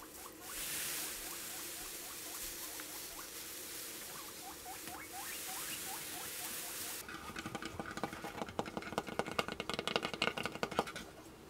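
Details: Morning routine with sixteen pet guinea pigs: a steady series of short, sharply rising squeaks, about two to three per second, then a burst of clicking and crackling rustle as the calls stop.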